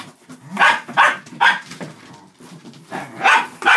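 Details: Dachshunds, five dogs including two puppies, playing indoors with a cardboard box, paper stuffing and a cat tunnel; short sharp barks come in quick pairs, about five in under four seconds, with scuffling between them.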